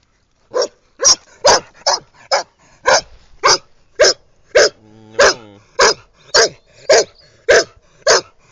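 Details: Irish red setter named Scarlett having fun on her walk round by the pool in 2010, barking in loud sharp repeated barks nearly twice a second, with one longer harmonic whine-like yelp midway.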